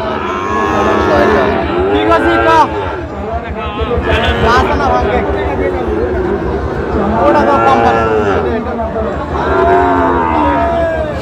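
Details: Sahiwal bull calves at a crowded cattle market in Gazipur, Bangladesh, in late October: several overlapping harmonic moos rise and fall throughout, with people talking and crowd chatter underneath.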